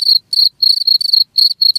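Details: Cricket producing piercing high trills broken into bursts of about a quarter second, with gaps between, and nothing else audible.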